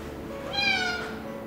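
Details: A Ragdoll cat gives one clear meow that rises and falls, calling through a door to its companion Ragdoll, which is outside exploring; the cats are being reunited with their mother.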